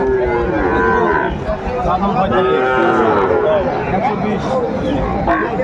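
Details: Several Sahiwal bull calves for sale at a Sylhet cattle market, 29 June 2024: short, arching moos from different animals overlap, set against a constant murmur of buyers and sellers.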